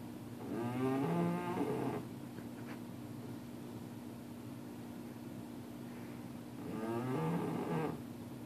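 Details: Bear, a sleeping puppy, snoring loudly: two whistling, groaning snores about six seconds apart, each lasting over a second, with a low steady hum between them.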